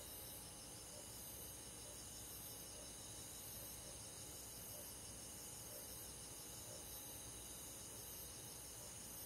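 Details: Crickets and other insects in a rural forest on a summer night, an unbroken high pulsating trill chorus with a lower chirp repeating at roughly one-second intervals, gentle and even, over a soft hiss.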